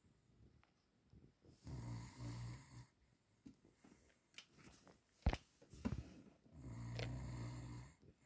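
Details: Male Cavalier King Charles Spaniel snoring loudly in deep sleep one evening after a run in the garden; low rasping inhalations recur about every five seconds with quieter breathing and small clicks between, indoors.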